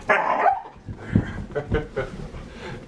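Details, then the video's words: Standard poodles play fighting indoors, giving a loud, rough bark-like burst at the start, then scattered lower growly grunts, with a person's voice close by. "Play fighting with our standard poodles"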